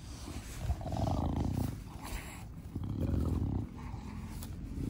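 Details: Garden recording of the pet bulldog Da Vinci, a brachycephalic dog, giving low, rasping, rattling breaths in long drawn pulses, roughly two per few seconds.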